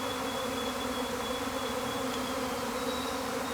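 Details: Honey bees swarming from a hive, a week after an earlier swarm: a dense, steady droning hum with layered bands, unbroken throughout, with a faint thin high whine.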